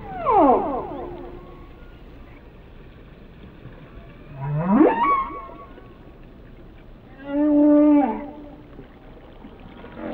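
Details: Whale singing a varied sequence: a harmonic downsweep, then a steep upward whoop, then a wavering moan with a strong low steady tone, each phrase separated by a few seconds of quiet hiss.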